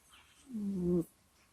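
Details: Cat Kusya groaning in its sleep into a microphone: a single half-second low moan, slightly falling then level, smooth and tonal with clear overtones, ending abruptly in a soft breath.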